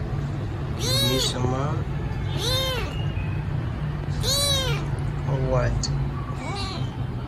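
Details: Hungry rescue kitten meowing loudly at feeding time, three clear arching meows followed by softer, shorter cries, with a low background hum and possibly human voices.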